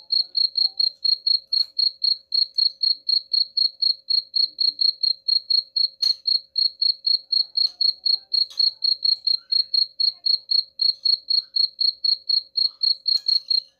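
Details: Unbroken cricket chirping meant to scare off rats: a long, steady run of sharp high pulses, about four per second, with a faint background hum and a couple of brief clicks.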